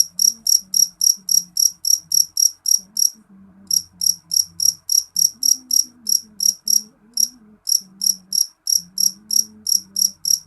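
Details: High, ringing chirps of a jeliteng cricket, rapid and regular at roughly three to four per second, with two short breaks in the series; quiet low droning sound beneath.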